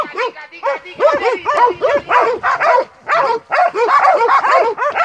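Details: Montenegrin Mountain Hounds from kennel 'Sutorman' on a hunt, baying in overlapping chorus: rapid arched yelping barks, several dogs together, with brief pauses near the third second.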